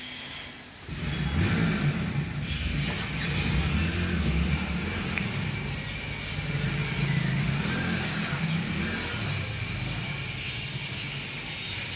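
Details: Music plays alongside a revving car engine and outdoor traffic noise, with no animal voice.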